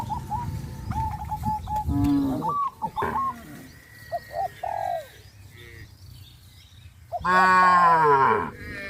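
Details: A herd of cows heading to the grazing field in hot sunshine; one strong, long, harmonic-rich moo closes the stretch, after softer scattered higher calls and chirps from other animals.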